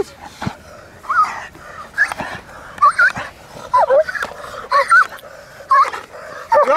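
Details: Male German Shepherd, a large, powerful working and show dog in America, during bite-arm protection training. Short pitched yelping barks and whines repeat roughly once a second, mixed with sharp clatter and a handler's shouted commands.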